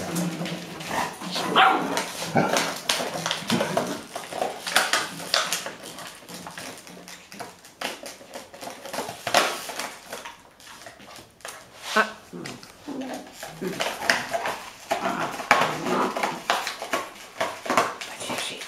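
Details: Five-year-old Golden Retriever grandmother keeping calm with six boisterous 7-week-old grandpuppies after her bottle toy, Haute-Savoie, France, October 2013; scattered short yelps and whines over constant crinkling, clattering plastic and scuffling.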